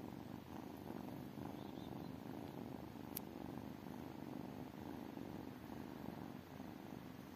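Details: Steady purring of tiny kittens, a low pulsing rumble throughout, with one sharp click partway through and soft faint rustling.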